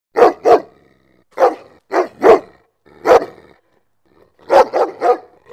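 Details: Dog barks meant to make dogs come and react: loud, rough barks in pairs and singles, ending in a quick triple burst, with a faint growly tone between them.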